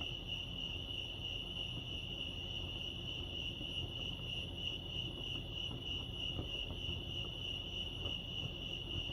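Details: Crickets chirping at Lake Arrowhead, California, a steady pulsing high band of overlapping chirps running without pause, with a low rumble of background noise beneath.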